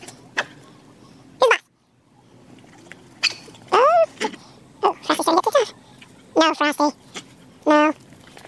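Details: Dog barking at cars outdoors: sharp, scattered barks and yelps in quick bursts, some with rising-falling whines, between quieter stretches with background noise.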